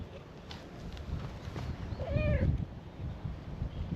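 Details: Stray cat at a cat-island gathering meowing in welcome to a visitor: a single short nasal meow midway, partly buried in heavy low-pitched background noise and rustling.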